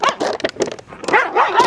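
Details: Street dog with its head stuck inside a discarded plastic container, caught by a rescue team: quick series of harsh yelping barks and whimpers, closely spaced, with no gaps between bursts.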